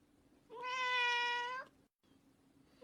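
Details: Cute cat giving a single long, steady, clear meow of about one second, with a low indoor hum behind it.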